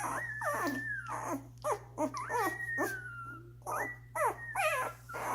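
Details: One-week-old Doberman puppies feeding and sleeping, siblings jostling for a spot: high whining whimpers, long falling whistles and short yelps overlapping from several pups, with a steady low electrical hum beneath.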